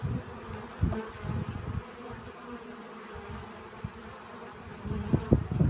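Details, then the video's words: Bees collecting pollen: a soft, steady low hum with a faint droning overtone, rising and falling slightly in loudness, with brief low thumps and rustles and a louder swell near the end. "Relaxing Bee Sounds. Сбор пыльцы."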